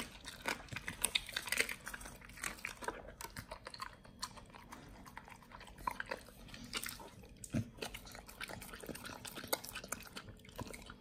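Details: Indoors, Pit Bull nomyen solo eats raw quails; rapid repeated crunching bites and bone cracks over eleven seconds, rhythmic chomping with brief lulls, quiet room.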